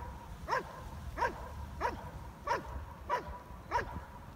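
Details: Protection-work barking from the German Shepherd Stryder in his IPO1 trial routine: six punchy, evenly spaced barks, a little faster than one per second, against a quiet low background hum.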